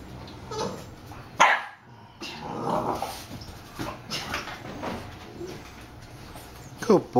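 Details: Bulldogs Bowser and his baby cousin Hamboy play-fighting indoors; sharp bark bursts and rough growls, with a loud bark near the start and another at the end, mixed with a person talking.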